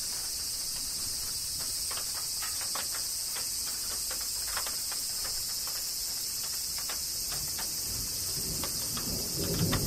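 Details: Kyoto, Japan, summer rain and cicadas: a steady shrill insect buzz forms a bright wall of sound, overlaid by frequent crisp drip clicks and patter, with a low rumble swelling near the end.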